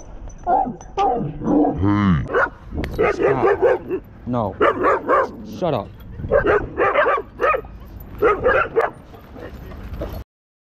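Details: Pit Bull and Belgian Malinois clashing at a dog park: harsh snarling barks, yelps and whining cries in quick irregular bursts, mixed with shouting people.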